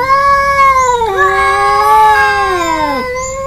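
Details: An Angora cat, possibly alongside a village cat, gives a long, drawn-out meow that wavers in pitch before sliding down, like a male cat's calling meow.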